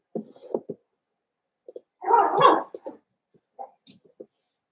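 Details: Cavalier King Charles Spaniel puppies, seven weeks old, in an indoor home pen: short whimpers and yips, then a longer whining cry in the middle, followed by scattered soft squeaks.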